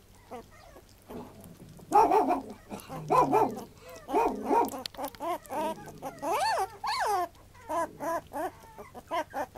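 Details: A puppy gives a run of whining yelps, some arching up and down in pitch, then shorter whimpers repeated about once a second, over a low background hum.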